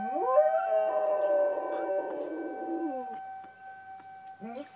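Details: Pet dog howling along with a tornado siren: a long wavering howl rising from low to mid pitch and holding for about three seconds, then fading, with a steady siren tone running underneath throughout and a brief second howl starting at the end.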